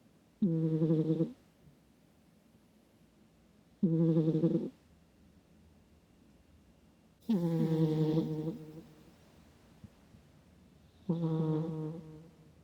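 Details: Microphone recording of a cat snoring in its sleep, a deep snore likened to a middle-aged man's. Four rasping, tonal breaths recur roughly every three and a half seconds; the third is longer and louder.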